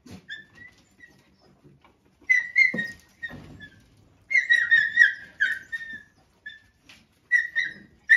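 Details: A male dog attacks a female dog as she eats. High, whistle-like whines come in short repeated bursts, some steady and some wavering, with scuffling thumps in between.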